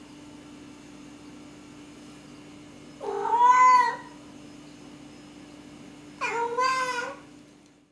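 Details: Domestic cats restless indoors with cabin fever, captured on a Canon T2i DSLR: two loud, drawn-out meows with rich harmonics, the first around three seconds in and the second near six seconds, over a steady low electrical hum.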